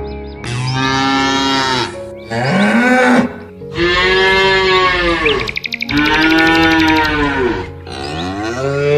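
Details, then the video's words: Cattle grazing in nature give loud, drawn-out moos, five rich harmonic calls back to back over nine seconds, some bending upward then sliding down, with a rapid bird-like twitter heard briefly between them. "Lovely cows in nature. Cow sounds."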